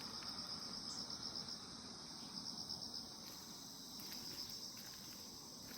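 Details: Peaceful morning insect chorus from the grass: a continuous, piercing high-pitched drone with brief stuttering pulses layered on top. Low ambient rumble fills the background.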